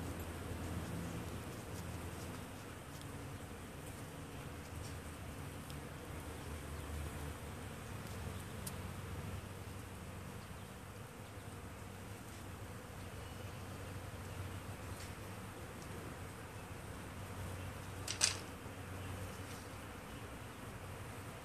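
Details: Hundreds of honeybees foraging in a flowering crabapple tree make a steady, low droning hum that fills the air without a break, with one brief sharp click near the end.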